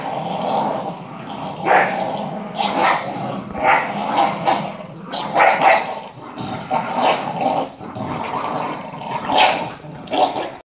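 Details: A Staffordshire bull terrier, one of two Staffords competing with a Parson terrier for a ball, gives rough growls broken into repeated surges about once a second, with occasional bark-like edges, across eleven seconds of play.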